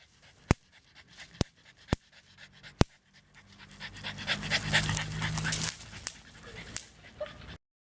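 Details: Four-year-old female French Bulldog, kept at home, excitedly going after an electric insect racket; a few sharp snapping clicks in the first three seconds, then a long stretch of rapid, breathy, hissing panting that fades out near the end.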